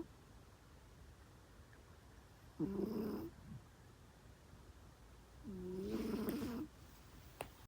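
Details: A kitten snores loudly in a quiet indoor room, giving two drawn-out raspy breaths about three seconds apart over a low background hum.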